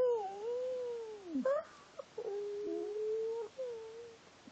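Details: Soft, steady whining from the dog Bella as she 'speaks dog language': a long level tone with small bends, a quick dip and yelp midway, then a fading final whine over quiet room hiss.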